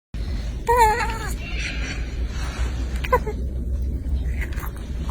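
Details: A baby monkey, while eating food, gives a wavering, whining cry, followed by a brief second squeak over low rumbling.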